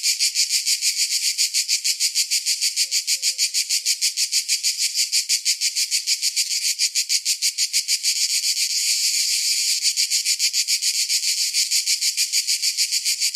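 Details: Cicadas singing in summer: a continuous high, hissing buzz throbbing in regular pulses roughly three per second, briefly swelling louder partway through, with a couple of faint low chirps early on.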